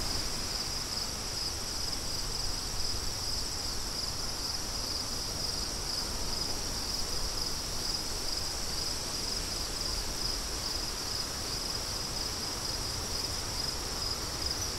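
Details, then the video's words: Crickets outdoors with wind: a steady high, shimmering trill pulsing in faint beats, continuing throughout, over a broad rushing wind noise in the low range. "Crickets & Wind"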